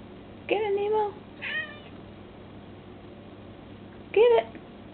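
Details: Domestic cat trying to catch a moth indoors: three meows, the first longer and wavering, the second short and soft, the third a brief sharp mew after a pause, over low steady room hum.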